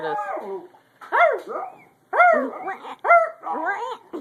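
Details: Dog said to have laryngitis and to be losing its voice, possibly with something stuck in its throat, gives hoarse, strained, arching whine-howls in four bursts about once a second, each rising then falling in pitch.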